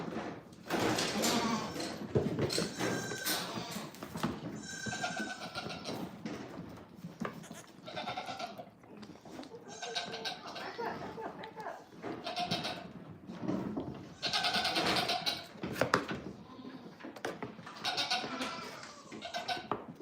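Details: Goats at The Willful Goat Farm & Home, heard during a live stream: many overlapping wavering bleats, some rising and some falling, in quick succession throughout, with occasional faint human voices in the background.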